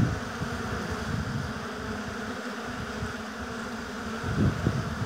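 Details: Steady hum of bees at a beehive in an apiary, partly masked by low wind rumble on the microphone, with a few close fly-bys near the end.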